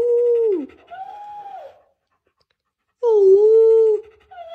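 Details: German Shepherd puppy voicing two drawn-out tonal whines, each steady then sliding down, separated by a second of silence; clear harmonics, no barking, quiet background.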